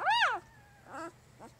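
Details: Three-day-old puppy from Jig's litter giving a loud arched whine that rises and falls in pitch, followed by two shorter, fainter squeaks over a low steady hum.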